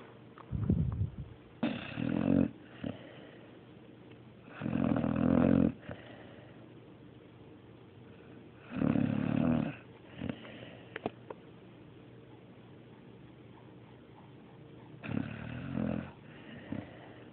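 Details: Mario, a pet dog, snores steadily indoors: four bursts of harsh, rumbling, harmonic snoring about a second each, spaced roughly four to five seconds apart, with low snuffles and light breathing in between.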